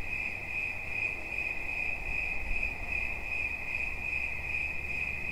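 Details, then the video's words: High, even cricket chirping, rapid pulses forming a steady ringing trill, over a low murmur of background noise. "Świerszcz. Dźwięki relaksacyjne"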